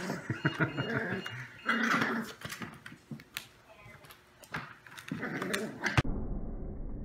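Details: Five-week-old foster puppies playing indoors in the morning, with short growls and yips scattered among scuffling and thumps of tumbling bodies in a small room, some voices in the background.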